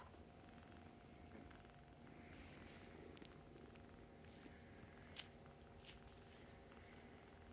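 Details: Mother cat and nursing kittens fostered for the Humane Society of North Texas; steady low purring carries throughout, with soft rustles and a couple of brief taps from movement.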